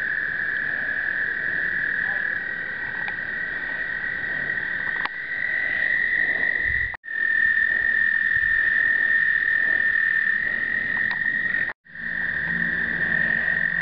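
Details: American toads calling during explosive breeding, 2009, captured with a pocket point-and-shoot: continuous high trills layered from several callers, briefly cut twice, with a faint low hum and murmur near the end.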